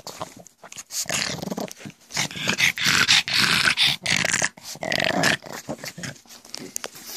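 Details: Pug at home making its weird goblin-like noises while being offered a treat, eyes going wild; gravelly snorting growls in fast irregular runs, loudest in the middle, with a few whimpery tones.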